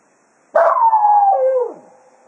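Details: Cato, a Jack Russell Terrier at Quail Roost, serenades the hounds farewell as a day of foxhunting ends: one wavering howl of about a second, bursting in loud then sliding gradually downward before fading out.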